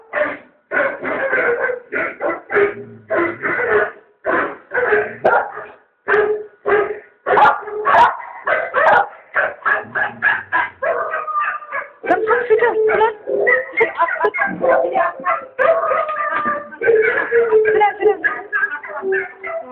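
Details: Dog barking and yipping indoors in reaction to a dog commercial playing on TV, rapid irregular barks and yips, some whining tones in between, with sound from the television mixed in.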